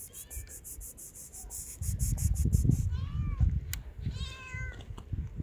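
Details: Hungry street cats living outdoors give two short meows, one arched and one falling with stacked overtones, against a steady low rumble and scattered clicking and rustling.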